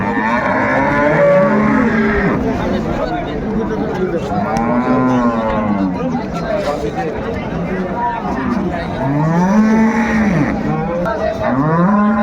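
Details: Cattle, cows and calves, at Ambari Haat livestock market in Dinajpur, Bangladesh, on 21 March 2025: several deep, arching moos rise and fall, around four and a half seconds in and again near nine and a half and eleven seconds, over steady crowd chatter and bargaining voices.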